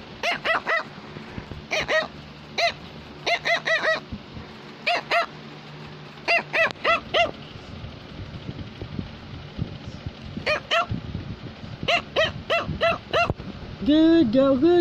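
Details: A Cavalier King Charles Spaniel, a female pet, barks because she wants to tell her owner something. Bright, high yaps come in bursts of two to four, with pauses between. A human voice speaks briefly at the end.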